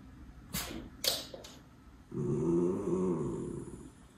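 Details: Miniature Schnauzer Levi, one of two brothers, with spring fever on 14 March 2022 in Aroostook County, Maine, wanting to play ball: a few sharp taps, then one drawn-out, low, harmonic whining groan lasting under two seconds, indoors.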